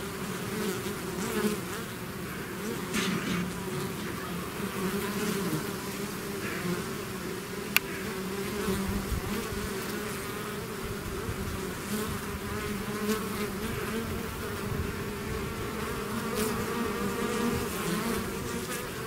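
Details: Many bees pouring out of a hive as a swarm, steady thick humming throughout, with passing bees swelling the buzz now and then and one sharp click midway.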